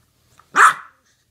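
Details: Puppy giving a single sharp bark, loud and short, about a third of a second, otherwise silent.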